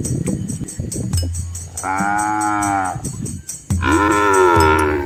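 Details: Asian village cows and calves walking along a quiet rural road beside green rice fields: two drawn-out, harmonic-rich moos, the second rising slightly and longer, over a low steady hum and a constant thin high-pitched drone.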